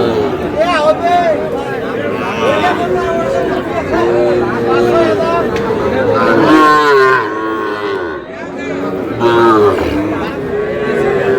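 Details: Small bull calves at a cattle market where a Madaripur farmer buys them, 4 August: several drawn-out, wavering moos rise and fall among constant crowd chatter and men bargaining over prices.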